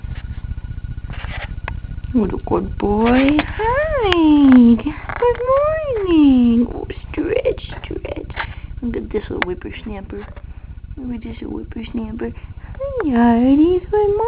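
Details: Domestic cats greeted indoors in the morning give several drawn-out, arching meows that rise and then fall, some sliding down in pitch, between stretches of a woman's cheerful talking.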